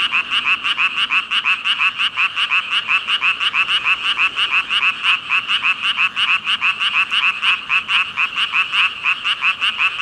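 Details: Thousands of frogs in a massed ribbit chorus: fast, evenly pulsed raspy croaks overlapping continuously, roughly three per second, high and bright, with nothing else audible.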